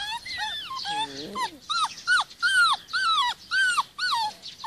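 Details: Rhodesian Ridgeback puppies, 46 days old, in the garden with their mother; a run of high, arched whines and yelps, about two per second, each falling at the end, with a brief lower growl-like sound near the start.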